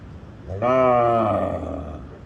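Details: On a village farm, a cow lets out a single loud, low moo that starts strong and fades into a rough, breathy tail.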